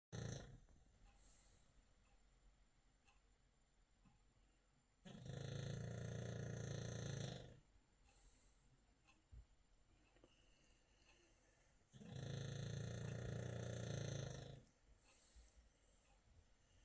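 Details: British bulldog snoring loudly in sleep at night: deep, rasping snores lasting about two seconds each, recurring roughly every seven seconds, with quiet breathing between.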